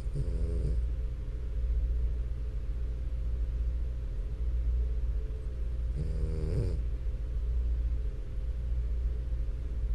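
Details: Two buzzy, rattling snores from a French Bulldog, six seconds apart, each lasting under a second and set against a constant deep background drone.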